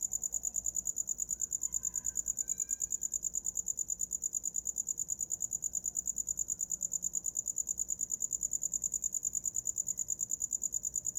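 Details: Cricket chirping through the night, a steady high-pitched pulsed trill repeated about twice per second, even and unbroken throughout, with faint low background hum and no other clear sounds.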